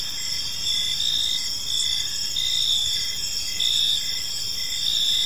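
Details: Evening park crickets: a constant high-pitched insect drone with brighter chirp pulses recurring at roughly one-second intervals, slightly uneven in timing; no voices or other animals stand out.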